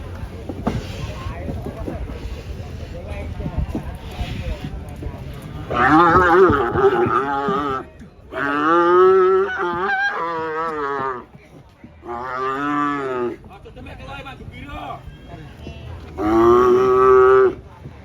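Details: Cow raging as it comes down from a truck on a windy day: four loud, sustained moos, each one to two and a half seconds long, separated by short pauses, with some background chatter.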